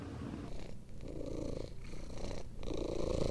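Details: Close, loud purring from a household of sheltered cats: Tessa, a long-haired British mother, her three kittens and an abandoned kitten; low rhythmic rumble pulses rapidly with breathing breaks roughly each second.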